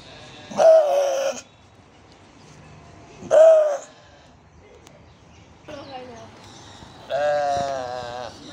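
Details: Goats on a farm, recorded October 6, 2022, among ducks, a rooster and other farm animals; two loud wavering bleats about three seconds apart, then quieter quavering bleats with rich harmonics.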